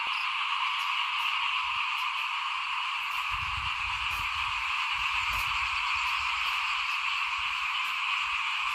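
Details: Massed frogs calling in front of a house during rice sowing, 2021. A continuous shrill, layered drone, with faint irregular clicks above and a soft low rumble in the middle.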